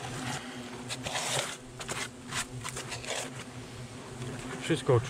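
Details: Nervous hornets from a nest hidden under polystyrene in a smokehouse chimney in a garden arbour, disturbed during nest removal by poisoning and extraction: dense, wavering insect buzzing over a steady low hum, with scattered knocks and a brief warbling tone at the end.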